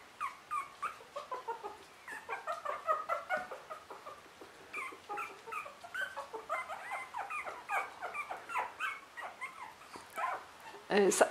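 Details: Three-week-old Russian Toy puppies whimpering indoors, a busy overlapping chorus of short high squeaky whines and yelps, many rising or bent notes following each other several times a second with no pauses.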